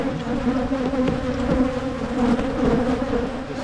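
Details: Honeybee colony in Michigan during hive splitting to prevent swarming, giving a continuous, even buzzing drone with a clear low hum throughout and occasional soft taps.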